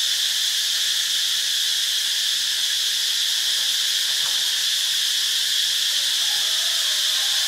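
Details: Continuous shrill drone of cicadas at Ubon Ratchathani, Thailand, a smooth high buzz at unchanging volume, with a faint low hum in the background.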